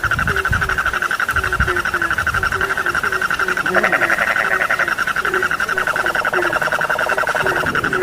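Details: Frogs calling together in a sleep recording: a continuous pulsing trill over quick, repeated low croaks, with a few soft low thumps early on and a brighter rattling burst near four seconds.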